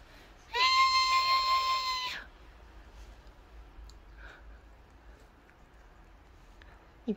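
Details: Calico cat indoors, female, annoyed after being handled: one long loud steady meow lasting about one and a half seconds with strong even harmonics, followed by quiet room noise and a faint short sound at the end.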